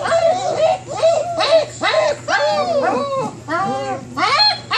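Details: Several 27-day-old German Shepherd puppies whining in their whelping box, eager to come out and play; overlapping high, arching whines and yelps rise and fall in quick succession, with a steady low hum underneath.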